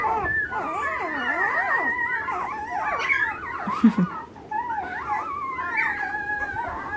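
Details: Several Alaskan Malamute puppies at ten days old, from the Mystique/Alpine litter of 2013, crying together in long sliding whines that swoop up and down, layered into a howl-like chorus with a brief dip near the middle.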